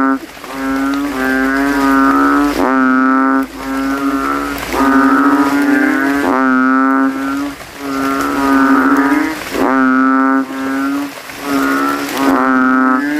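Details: At night after rain, kodok kintel in a cemetery puddle swell their throats and compete against rivals with loud bass calls: droning, nasal hoots lasting over a second each, overlapping callers in a steady chorus.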